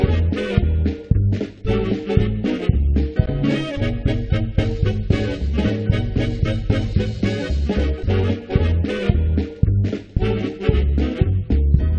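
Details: Lively swing-style music with a bouncing bass line and horns plays throughout, with no animal sounds heard.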